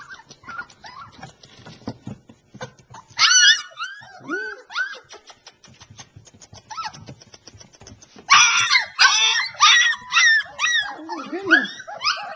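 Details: Litter of three-week-old Alaskan Malamute puppies in southeast Iowa giving high squealing whines and yelps, arched rising-falling notes in loud bursts from several pups at once, over background rustling and shuffling.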